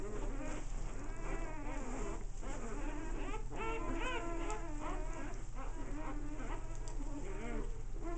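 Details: A group of American Bulldog pups during play. Many short wavering whines overlap into a busy chorus of squeaky cries, steady throughout, over a low electrical-sounding hum.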